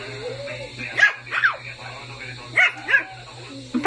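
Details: Shih Tzu puppy at play yapping in short high bursts, two pairs of quick barks about a second apart, with a low steady hum and faint voices in the room.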